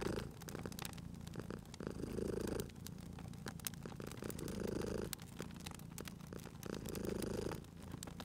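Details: A domestic cat sleeping near a crackling fireplace in a cozy spring setting. Its deep, even purr pulses in breath cycles about every two and a half seconds, mixed with constant snapping and popping of the fire.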